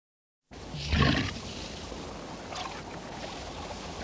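A walrus gives a single loud, rough roar, deep and grating, then fades into steady background noise.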